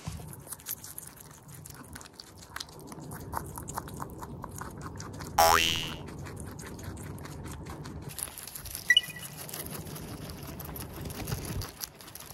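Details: Close, crisp chewing from a guinea pig (teddy or Abyssinian) recorded right at its mouth and nose, with rapid crunchy clicks and a brief springy boing.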